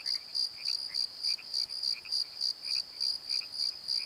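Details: Crickets calling at night in a valley bottom: steady high pulsed chirps repeating about three times a second, with softer lower chirps from another caller in between.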